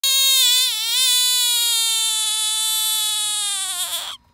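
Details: Bullfrog caught in East Texas, crying out in distress: a loud, sustained, eerie harmonic scream lasting about four seconds, wavering at first, then holding steady before cutting off abruptly.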